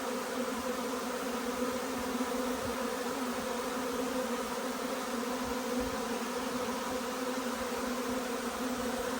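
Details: Honey bees swarming in to a stack of nukes on a hot, humid day with chestnut flowering; unbroken loud buzzing of many bees, a low steady hum layered with higher whirring tones.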